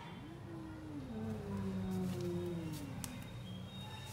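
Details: Two cats, a tall cat and a lion cat, squaring up to fight while a chair keeps them apart; a long, low, wavering moan rises and falls over four seconds, rich in harmonics, above a steady indoor hum.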